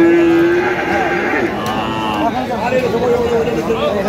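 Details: Cattle lowing amid the bustle of Aftabganj market, 1 November 2025, where cheap, thin dairy cows are traded: a steady tonal moan that wavers and rises, mixed with people talking nearby.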